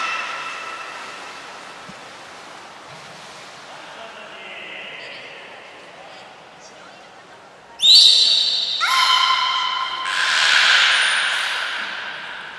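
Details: At the Port of Nagoya Public Aquarium during a morning health check on 19 May 2021, before a public training session, a beluga gives faint, thin tonal squeals, then loud, rasping, creaky calls with bright whistled overtones, over a brief sharp whistle and low murmurs.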